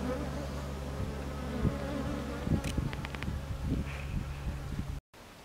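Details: A Japanese honey bee colony drones steadily in a stacked wooden hive during box addition, 27 March 2015, with repeated thumps and clicks from handling and a brief dropout near the end.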